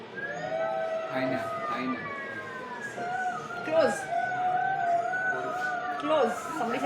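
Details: Golden jackals howl in chorus close by: several wavering, siren-like voices overlap, gliding up and down and rising in bursts through the clip.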